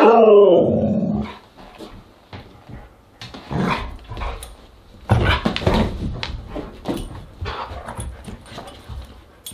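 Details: At a Husky dinner party on August 10, 2022, a Siberian Husky opens with a drawn-out, wavering, falling howl-like cry, followed by irregular lower grumbling barks and scattered clatter indoors.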